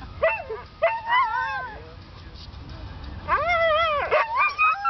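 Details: Siberian Huskies singing: two quick yelping cries, then a drawn-out wavering howl that swoops down, rises and falls again, ending in further short yips.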